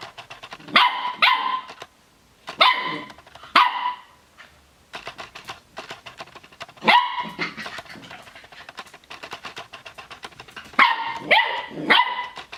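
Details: Puppy barking: bright, high yaps in quick pairs and bursts, four clusters spread across the stretch, with soft rustling and handling noise between them.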